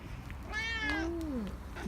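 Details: Korean shorthair cat Nacho, indoors, begging for more treats after already getting a churu. A single clear harmonic meow rises, then slides downward over about one second, with quiet room noise around it.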